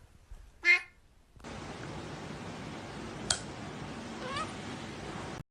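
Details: A fat house cat gives one short, sharp meow indoors, then a steady hiss of room noise with a faint click follows.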